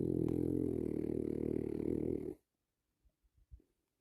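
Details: French Bulldog snoring while relaxing: a sustained, rattling, low snore over two seconds, followed by small soft snuffles in a quiet room.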